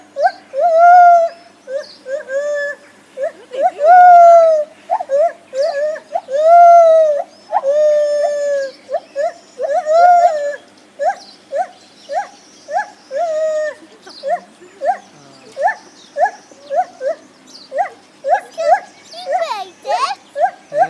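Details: Lar gibbons calling: loud hooting notes that swell into long wavering wails, then speed into rapid short hoots in quick succession toward the end, with overlapping voices near the close.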